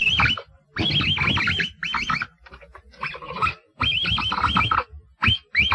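A capybara gives rapid bursts of high, arched squealing whistles with a rough, buzzy edge.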